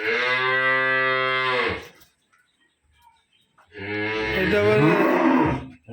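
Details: Two milking cows with a heifer calf at a dairy farm in Khulna, Bangladesh. Two loud, sustained moos come about two seconds apart: the first is steady and deep, the second is rougher, with a wavering, slightly rising pitch.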